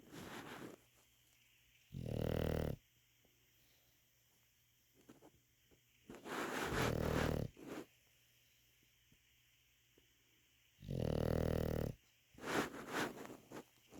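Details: English Bulldog asleep, snoring in three loud, grating inhalations spaced roughly four to five seconds apart, with quiet breathing between them.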